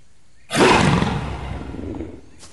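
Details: Sumatran tiger giving a single loud, harsh roar that bursts in abruptly and holds broad and rough for about a second and a half before fading into a rumbling tail; a brief faint noise follows near the end.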